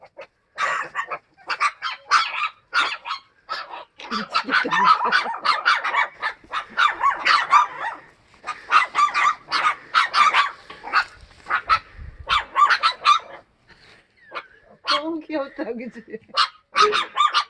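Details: Sapsali family of mother Suri and growing puppies in foster care after birth at Gimje shelter. Rapid, irregular barking, several dogs at once, with short gaps and a quieter stretch near the end.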